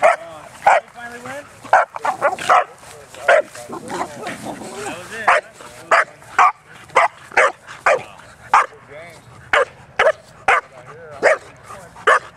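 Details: Bearne the Bernese Mountain Dog, 11 months old, romping at a dog park: repeated bright barks, roughly one per second, mixed with whiny yelps and background voices.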